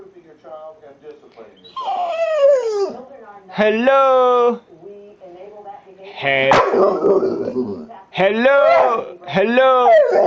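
A pit bull makes drawn-out, talking-like yowls and whines, rising and falling in long vocal bursts.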